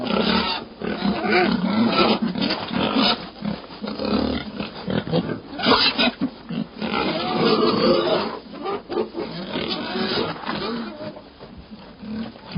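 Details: Pig screaming almost without pause, dense harsh squeals that swell and fade in loudness, with brief gaps near six and eleven seconds.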